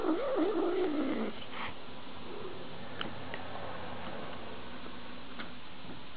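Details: Domestic cat in a funny cat compilation giving one wavering, moaning meow that rises and falls for just over a second, then fades into quiet room noise with a few faint clicks.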